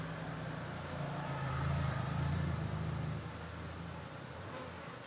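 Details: Cultivated honey bees humming inside a managed hive tracked with a smartphone-linked SAMS monitor; a deep, even droning buzz that strengthens in the middle seconds, then eases back to a softer steady hum.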